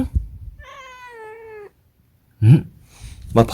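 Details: Munchkin cat Dongjae holding one steady, drawn-out meow of about a second that sinks slightly at the end, followed by a pause and then a person's voice.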